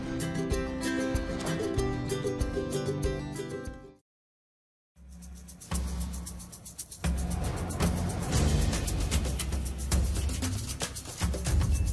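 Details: Music with a strong beat and low bass plays throughout, broken by a second of silence, with no animal sound heard.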